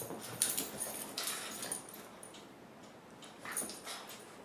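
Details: A 4-month-old French Bulldog puppy and a 3-year-old Basset Hound mix at play, giving scattered short, soft whimpers and yips among quick broadband scuffling bursts, with quiet gaps between flurries.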